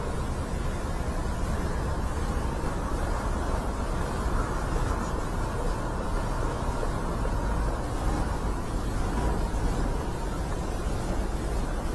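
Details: Constant wind buffeting the microphone over a deep vehicle-like rumble, with nothing animal audible.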